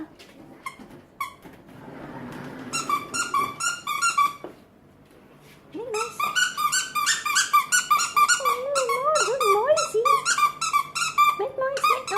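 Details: Female French bulldog indoors, vocalizing on command while her owner repeatedly urges her to make noise. After a few soft whines and a stretch of talking, she breaks into a long run of wavering, yodel-like whines that rise and fall.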